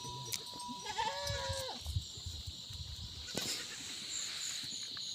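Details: Himalayan goat in the jungle at a goat farm in an Uttarakhand village, India, giving a drawn-out bleat with a steady tone that drops near the end, over a constant high insect hiss and a faint bell.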